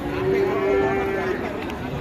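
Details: Enraged cattle being released by an elderly handler, a trader scolding him; one steady, tonal, mid-pitched moo held for about a second, with crowd chatter and background noise.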